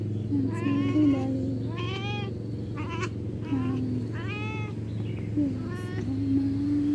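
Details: Cat giving a series of short, insistent meows, about five in seven seconds, each a bright nasal rise and fall, over a constant low rumble and faint background noise.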